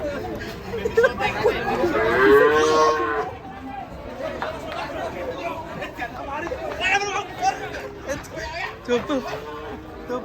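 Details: An agitated cow coming down off a truck in Indonesia gives a long, loud, wavering moo, followed by shorter grunting calls while men talk and shout nearby.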